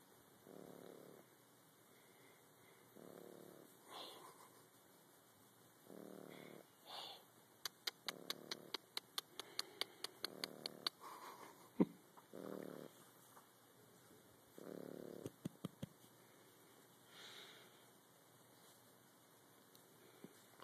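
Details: French Bulldog puppy snoring: soft breathy snores repeating roughly every two to three seconds, with a quiet steady hum and a burst of sharp clicking in the middle.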